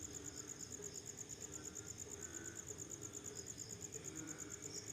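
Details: Crickets at night after rain, giving a fast, steady, high-pitched pulsed chirping that runs without pause, with a second slightly lower pulsing chirp layered in and a faint low background rumble.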